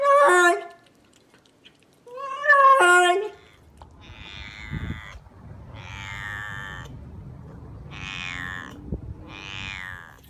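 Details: Domestic cat making weird, crazy noises indoors: two loud harmonic meows early on, then several quieter drawn-out wavering calls with falling tones, spaced a second or two apart.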